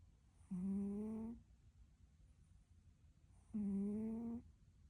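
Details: Sleeping domestic cat snoring: two drawn-out, steady, buzzy tonal snores, each lasting nearly a second and spaced about three seconds apart, with quiet breathing pauses between them in a hushed indoor setting.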